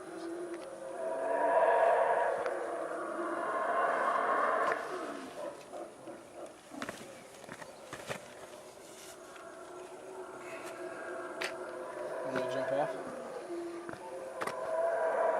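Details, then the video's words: Distant howler monkeys, heard from the top of Caana at Caracol, Belize, on 7 March 2012, roar in long, deep, rasping bouts that swell, fade, and then rise again. "Howler Monkeys Making Noise While on the Top of Caana at Caracol"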